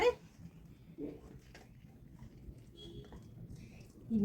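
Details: Laura, a pet female Labrador Retriever, gives short whimpering barks at the start, again after one second, and a louder yelp at the end, between quiet stretches with Tamil speech nearby.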